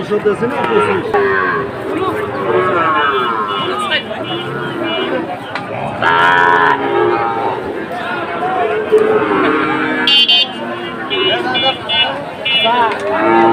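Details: Sahiwal bull calves at Amabari cattle market, bought by a Sylhet farmer on 2 October; overlapping low harmonic moos rise from a busy market, with people chattering, shouting and clapping around the animals.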